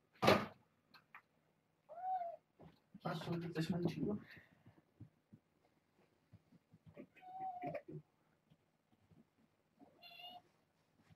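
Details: Indoor kittens from a litter of six, four girls and two boys, born August 29th to a family pet, visited by Minion with Kougra; three thin, tonal mews rising and falling, spaced several seconds apart, among rustling, thumps and brief human voices.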